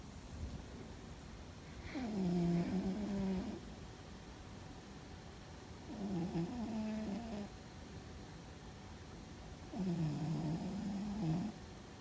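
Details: A domestic cat named Fuzzy snores in his sleep: three deep, humming snores, each wavering slightly in pitch and lasting over a second, arriving about every four seconds against soft background hiss.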